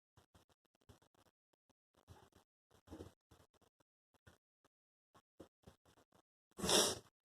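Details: Four newborn Chihuahua puppies, under two weeks old, snuffle and grunt softly, ending with a sharp, sneeze-like burst.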